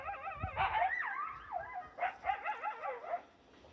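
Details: Two wild coyotes, a couple with one larger than the other, calling from behind a bush: a rapid run of wavering, warbling yips and short rising and falling howls, repeated in quick bursts.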